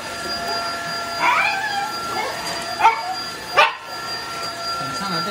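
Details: Welsh Corgi in a home with four dogs, barking at a vacuum cleaner being tested: a few short, sharp yips and barks spaced about a second apart over a steady mechanical whine, with a person speaking and calling to the dogs.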